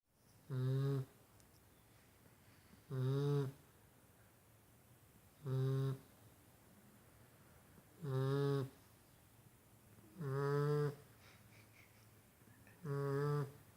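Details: A Golden Retriever puppy sleeping deeply snores in low, rumbling breaths repeated about every two and a half seconds.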